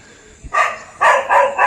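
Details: Domestic dog barking at 4:00 toward jungle bushes near Jim Corbett National Park, India, where something unseen moved; three harsh, broadband barks in quick succession after a faint thump.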